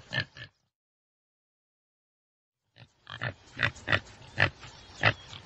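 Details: Two quick rough grunts from a common tsessebe, a pause of silence, then a run of harsh snorting pulses, with thin bird chirps mixed in.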